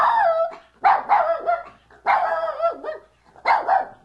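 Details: Dog giving loud harmonic barks and yowling howl-like calls in bursts roughly every second, each note sliding slightly downward, with a few shorter yips between.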